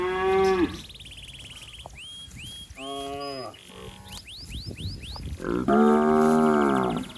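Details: Calf calling for its mother among fat, healthy cattle roaming a waterlogged rice field: a short moo opens, then a long, loud, steady lowing moo near the end, with high whistled and chirping bird calls in between.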